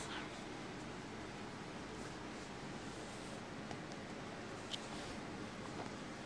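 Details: Soft hiss and rustling hold steady throughout, with no animal voice standing out.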